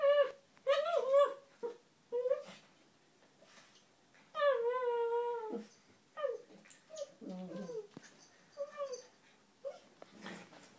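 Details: Playful wrestling between a red toy poodle named Donut and a Maltese named Dino, neither fighting nor biting; repeated whimpering, whiny yowls, some long and falling in pitch, mixed with shorter yips and snorty growls over eleven seconds.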